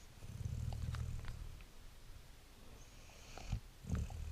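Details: Sleeping Great Dane puppy giving one long, low, rumbling snore, then quieter breaths and a couple of short snorts near the end.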